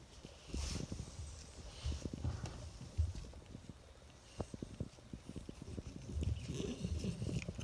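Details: Cold French bulldog bundled in a plaid blanket, teeth chattering as a steady run of sharp low clicks, some in quick clusters, others spaced irregularly, over a quiet indoor background.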